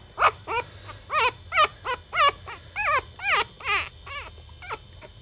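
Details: Chihuahua puppies, a litter linked to Goofy Rodriguez jr., Coconut and Chichi Rod, give a run of about a dozen high, arched whimpering yelps. Each rises and falls, roughly two per second, with a faint low hum underneath.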